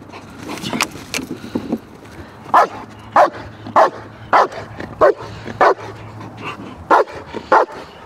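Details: German Shepherd in protection dog training, barking in short forceful bursts, at first irregular and softer, then loud barks about every half to two-thirds of a second, with a faint low hum beneath.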